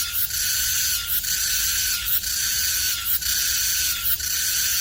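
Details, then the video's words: Meimuna mongolica cicadas, two seen on a maple tree in Seocho Culture Arts Park: a dense, high, hissing buzz that swells and dips about once per second, with no other sounds. "매미소리 듣기"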